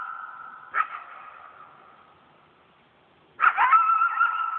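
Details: Coyotes at night in a yard, a pack howling: a sustained even howl with a yelping break, fading out, then the pack erupts again into loud overlapping quavering howls and yips.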